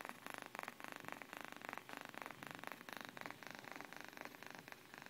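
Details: Sleeping domestic cat purring softly, a steady rhythmic breathy pulsing of about four cycles per second, quiet and close, with no other clear sounds.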